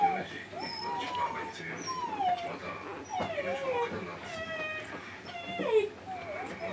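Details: Medium poodle puppy whimpering: a run of high, thin whines that slide and bend, some rising then falling, several in quick succession, with a faint hum underneath.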